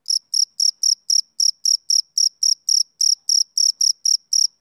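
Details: Male cricket chirping on a summer evening: loud, clean, high-pitched pulsed chirps repeated steadily about four times per second, each a short buzzy burst, with no other sounds in the background.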